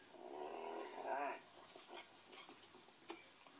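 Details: A Pinscher named Ole listening and letting out a single sustained, tonal whimper that rises slightly before cutting off, followed by faint shuffling and small sounds in a quiet room.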